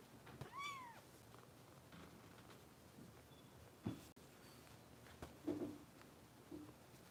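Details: Foster kitten with Los Angeles rescue volunteers, indoors at bottle-feeding time; a single short arched meow near the start, then quiet room noise with small clicks and rustles.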